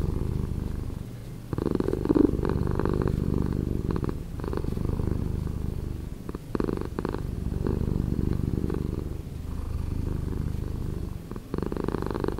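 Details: Slowed-down purring of a cat, a dense low rumble pulsing steadily for twelve seconds, dipping in volume shortly after the start and again around six seconds as the breath turns.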